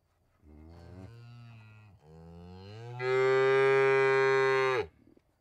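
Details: Single cow moo that starts low and hoarse, breaks briefly, then rises into a long, loud, nasal bellow before stopping abruptly.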